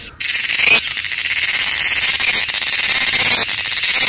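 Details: Cicada giving a loud, continuous, high-pitched buzzing drone that holds steady for about three seconds after a sharp onset, with a brief dip near the end.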